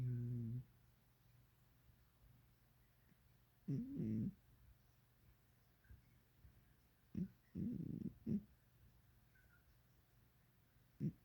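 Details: Sleeping cat snoring indoors: soft, low, throaty rasps lasting under a second, coming roughly every three to four seconds, separated by near silence.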